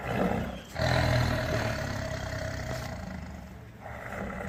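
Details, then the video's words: Tiger giving a deep, rumbling roar, a sustained throaty growl with strong low harmonics that swells loudest around the first second and then settles into a steady, rough drone before rising again near the end. "Tiger roar sound"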